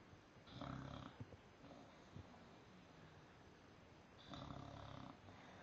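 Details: English Bulldog snoring while napping upside down; two long, rough, low rattling inhalations a few seconds apart, with quieter breathing between them in a small room.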